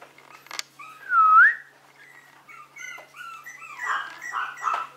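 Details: Maltese dog described as a cute prince lets out one loud, clear whine that dips and rises, then a run of shorter, quieter yelping whimpers and squeaks, in a quiet room.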